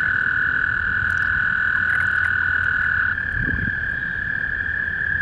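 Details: Toads chorusing in spring at a small backyard pond: overlapping, steady high-pitched trills merge into one unbroken droning tone that shifts slightly in pitch about three seconds in, with a low rumble of background noise.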